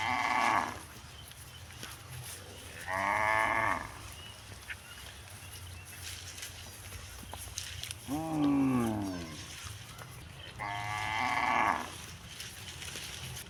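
A cow lows four times, drawn-out nasal moos rising and falling, each about a second long.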